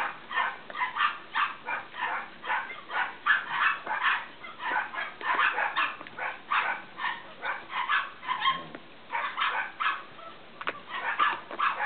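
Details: Cavalier King Charles Spaniel puppies bred from Danny and Daisy give a steady stream of short, high-pitched whimpers and squeals, about two a second, overlapping as several pups call together.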